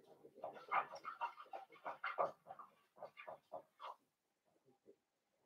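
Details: Puppy pen with five young blenheim Cavalier King Charles Spaniels born around New Year's Day: a rapid run of overlapping squealing whimpers and yips for about four seconds, fading to a few quiet squeaks.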